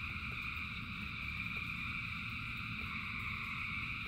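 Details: Rain-soaked frog chorus: a continuous, even drone of bright trilling voices stacked at different pitches, with scattered faint clicks and the low patter of heavy rain underneath.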